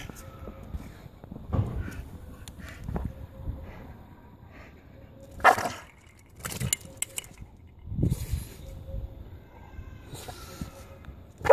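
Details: Staffordshire Bull Terrier attacking a pokeball toy: short, scattered bark-like yelps in separate bursts, with clattering knocks and faint low rumble between them.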